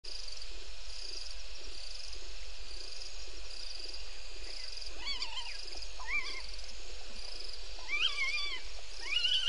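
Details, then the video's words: Bushbaby calling at night near Gowrie dam waterhole, Djuma Game Reserve, Sabi Sand Wildtuin, South Africa, at 04:35 on 02/07/19; after quiet hiss, several short wavering, whining cries arrive in a cluster over the last seconds. "Is that Bushbaby audio again?"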